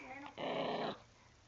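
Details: Puppy growling while guarding her new dental stick as her owner tries to take it; one broad, noisy growl of about half a second, then quiet.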